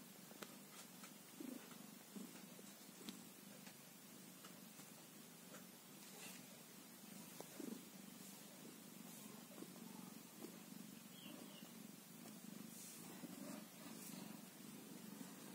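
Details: Kitten one day old, its quiet low purr droning on without pause beneath scattered sharp clicks and light rustling.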